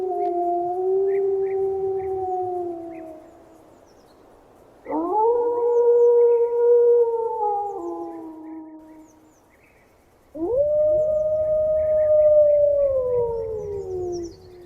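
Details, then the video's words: Wolf howling in an 8D wild-animal sound collection: three long, smooth howls, each rising sharply then holding steady before sliding down, with overlapping voices and faint higher yips between them. "Sonidos de LOBO"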